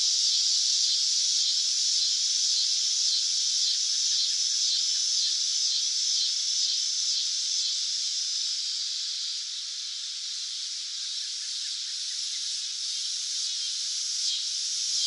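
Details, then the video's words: Cicada singing in summer, a shrill, sizzling buzz sustained without pause, softly throbbing and dipping slightly in loudness midway before steadying again. "Cicada Sound Effects | Summer Nature Sounds - Sounds From the Cicada"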